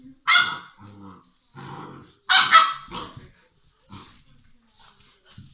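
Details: English Mastiff puppies aged six weeks at play, with two loud, rough barks about two seconds apart, softer grunting yips between them and faint yelps fading out afterwards.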